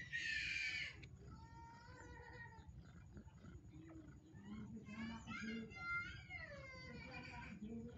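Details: Day-old kitten crying for its mother's milk: a loud burst of rustling noise, then long, tonal, drawn-out mews, some sliding downward, in two bouts separated by a short lull.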